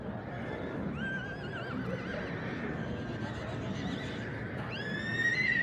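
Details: Shire horse, a rare giant working breed first used in England, gives a wavering, quavering neigh near the start, then a sharp rising whinny that holds high at the close, over steady low rumbling background noise.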